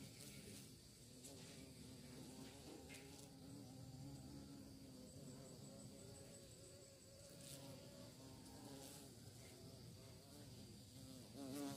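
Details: Bees searching for prey, a steady droning hum of low layered tones that waver and shift in pitch throughout, with scattered brief higher clicks and rustling.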